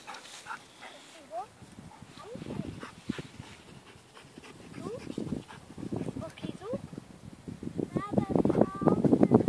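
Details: Male Labrador Retriever whining in short, high, upward-sliding squeaks scattered through the recording, growing louder and busier toward the end, mixed with people talking nearby.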